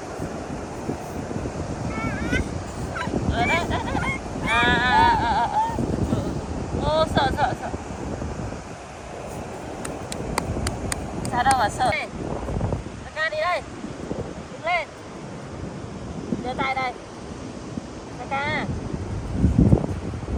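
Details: Pet monkey KaKa, raised by a family, calling in fright on meeting crabs at the beach: a series of short, harmonic, wavering squeals in bursts, with wind buffeting the microphone and surf washing in the background.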